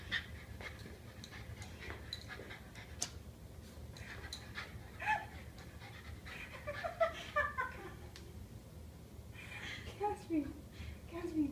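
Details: Japanese Spitz named Caspi, fluffy and excited about getting a treat while doing tricks, panting steadily with a few soft, high whines near the middle and end; quiet room background.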